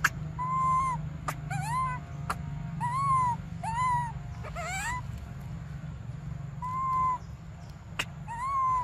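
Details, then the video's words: Baby monkey crying for milk during a standoff: repeated clear, arched wailing cries, each rising and then falling and lasting about half a second, separated by short gaps and sharp clicks, over a steady low hum. "Desperate Baby Briar Cries For Milk"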